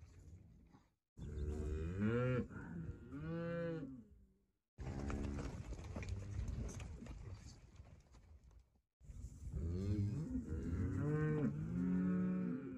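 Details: Cow mooing in three bouts of deep, drawn-out calls that rise and fall in pitch, separated by short silences, with rough, breathy noise between the clearer moos.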